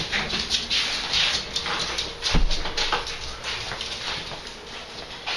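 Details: Boston Terriers indoors in a small room, giving high, thin squeaky whimpers in short bursts, repeated irregularly throughout, with a dull thump midway and faint room and handling noise.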